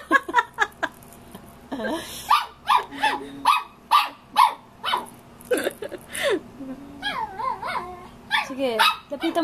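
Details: A Shih Tzu, male, confronts his reflection with a steady string of short, high-pitched barks, roughly two a second, some breaking into whiny squeals. A person speaks and laughs in the background in Tagalog.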